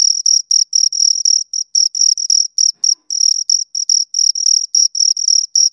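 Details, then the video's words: Two crickets give piercing, rhythmic chirps in clustered runs, pauses breaking the sequence now and then, each pulse a crisp high buzz with a faint upper harmonic; a silent background. "Two Crickets Chirp Sounds"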